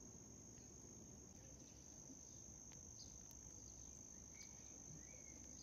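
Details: Continuous shrill ringing of a white cricket, a flat high tone held without pause, over soft low rumbling noise and a couple of faint brief chirps.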